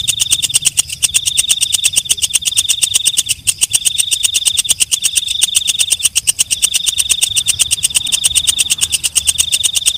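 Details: Katydid calling at night: rapid, unbroken ticking stridulation over a shrill high tone that cuts out briefly every second or two, keeping a constant, pulsing rhythm.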